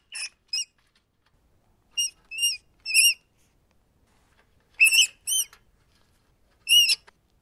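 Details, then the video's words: Shrill rat squeaks clustered in pairs and triplets, some bending slightly up or down in pitch, roughly ten calls over seven and a half seconds, otherwise quiet. "Ratten Geräusche - Welche Geräusche machen Ratten?"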